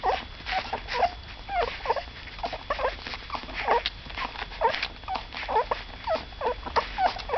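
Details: A litter of cocker spaniel puppies, the second litter of a mother named Saga, keeps up a chorus of short wavering squeals and whimpers, several each second, in a small room with faint shuffling in the background.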